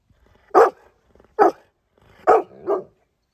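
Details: Pet dog barking four times in short, sharp bursts, spaced roughly a second apart. The last two barks come close together, the final one softer.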